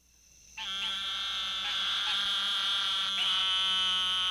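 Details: An Eastern Narrowmouth Toad (Microhyla carolinensis) calling within a mixed breeding chorus gives a long, nasal, buzzing bleat, high-pitched and steady, like a lamb.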